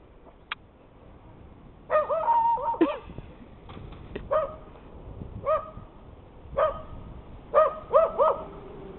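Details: Maggie, a dog out in the snow, barks at another dog heard in the distance, going only as far as the shoveled path. Sharp, tonal barks come in irregular single and doubled bursts, with quiet surroundings between them.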